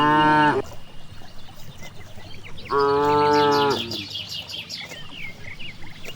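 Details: Cows out grazing in a broad green rice field; a brief moo cut off at the start, then one clear, level moo of about a second, followed by busy bird chirps and quiet countryside hum.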